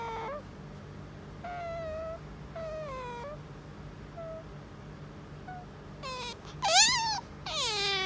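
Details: Pet otter kept indoors and pestering to be petted. Soft, wavering whines build into louder, sharply bending squeals near the end, over a steady low hum.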